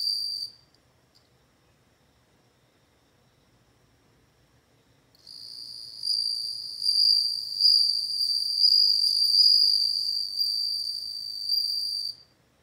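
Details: After a long silence, a bell cricket breaks into high, bell-like ringing that swells and pulses for about seven seconds, then stops abruptly.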